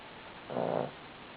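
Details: Sleeping Cavalier King Charles Spaniel giving a single short snore, a rough, humming half-second burst over a quiet indoor background.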